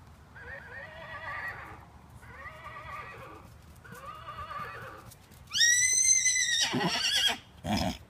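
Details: A 15-year-old Miniature Horse stallion plays with a toy. Three softer wavering, warbled calls each last about a second. Then comes a loud, shrill neigh that rises and trembles downward, followed by a brief snort.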